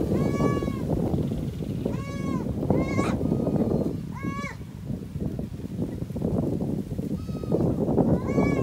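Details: Goats mating, with repeated wavering nasal bleats about once a second, each rich in stacked harmonics, over constant rustling and shuffling noise.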